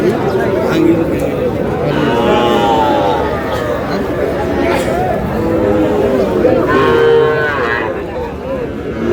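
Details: Sahiwal bull calves, sold as a pair, at a busy cattle market in Bangladesh where a farmer from Barishal is buying; several drawn-out, wavering moos rise and fall among constant haggling voices and crowd chatter.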